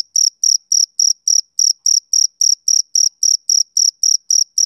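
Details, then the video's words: Male cricket chirping on a summer evening: a steady train of short, high, ringing chirps, about seventeen in under five seconds, evenly spaced roughly four per second, with a faint higher overtone and nothing else audible. "Cricket Chirping Sound Effect"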